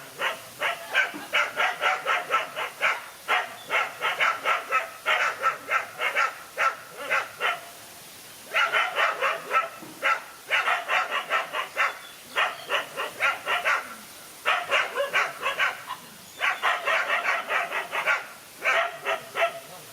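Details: A lone dog facing two male dogs in a fight, barking in rapid bursts of short, sharp barks, four to eight per burst with brief pauses between, sustained throughout; no other clear sounds.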